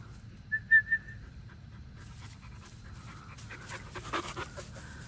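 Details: Male German Shepherd puppy: a brief high whistly whine near the start, then soft breathy panting bursts that grow louder and rougher toward the end, over a steady low background rumble.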